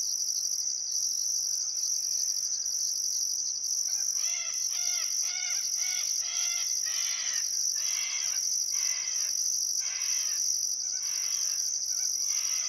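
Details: Crickets at sunset by the Barcoo River, Welford National Park, Outback Queensland, on a still summer afternoon: a constant high shrill trill, joined after four seconds by a bird repeating rapid rich notes over and over.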